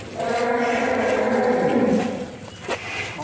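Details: Belgian Blue cattle, the stall mascot at Usman Farm in Mijen, Semarang, Central Java, Indonesia, lets out one long, steady, low moo of about two seconds while people talk, then a clap and laughter follow.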